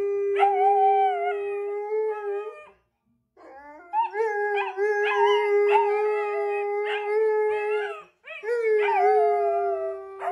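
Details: Husky vocalizing in drawn-out, level howls broken by quick yip-like catches and pitch wobbles, two pauses splitting it into three bursts; a faint low hum sits underneath near the end.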